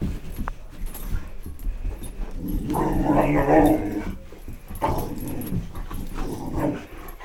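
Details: Boxer dog, one of two boxers chasing the light of a flashlight; a drawn-out whining cry with stacked tones swells in the middle, with scuffling household noise and brief voices around it.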